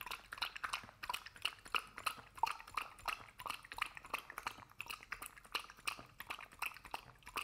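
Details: A dog noisily eats a homemade ube roll and cookie treat of carob, oats, purple sweet potato and chicken, with crisp, wet crunches and smacks in quick, uneven bursts.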